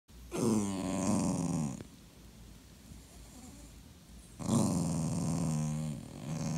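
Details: Clingy Dachshund, a sausage dog, being ignored, gives two drawn-out, throaty grumbling moans, each about a second and a half long with a rough growling edge, separated by a quiet pause.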